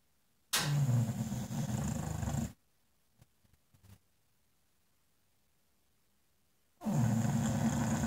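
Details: An English Bulldog snoring in front of a fireplace in a slow rhythm, each deep, rumbling, rattling breath lasting about two seconds, followed by several seconds of near silence before the next harsh snore.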